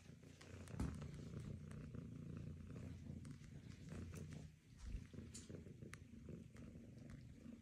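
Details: A golden British Longhair cat purring with a steady, low, rumbling purr that runs unbroken through the whole stretch, with faint clicks and rustles on top.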